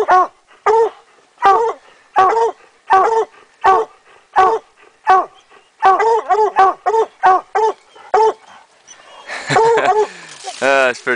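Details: Treeing coonhounds Rocky and Tonka, raccoon hunting in Idaho, 2011, in the middle of the day; a steady run of short, ringing barks about once a second, quickening near the end, then a closing burst of voices and handling noise.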